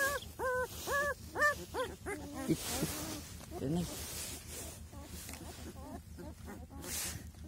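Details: Week-old Kangal puppy litter whimpering: a quick run of arched, high-pitched cries in the first two seconds, then a few fainter yelps mixed with handling noise and a low background hum.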